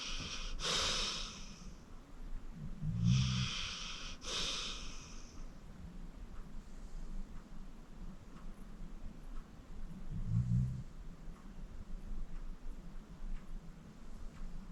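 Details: Sleeping 14-year-old pit bull Acorn, rescued from the Cuyahoga County Animal Shelter, breathing noisily in his sleep: airy, hissing exhales in quick bursts, each paired with a low, short snore rumble.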